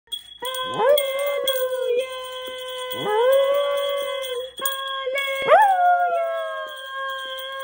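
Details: A Havanese howls along to a sustained trumpet melody of Hallelujah, its voice sliding upward into each note.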